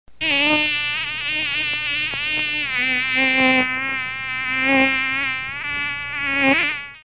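A mosquito's steady, droning whine of beating wings, wavering slightly in pitch as it flies close.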